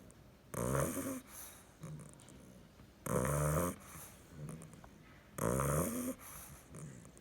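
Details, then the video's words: Sleeping bulldog puppy, nine weeks old, snoring: three loud, harsh, rattling inhalations about every two and a half seconds, each followed by a softer, low snuffling exhale. "Bulldog puppy snoring"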